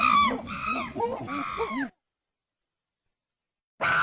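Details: A strange monkey call: about two seconds of loud, wavering, harmonic cries over lower murmuring voices, then silence, and a final loud burst at the end.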